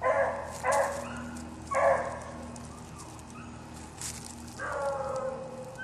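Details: Bouncer, a male dog, bays in long harmonic barks, two close together at the start, another shortly after, then a longer drawn-out bark later, over a low steady hum.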